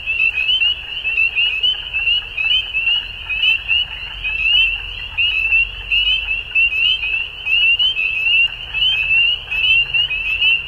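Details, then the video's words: Spring dusk chorus of frogs in Ontario, Canada, many callers giving shrill rising peeps packed closely together, steady throughout with rhythmic surges in loudness and a soft low background hum. "Frog Sounds At Dusk"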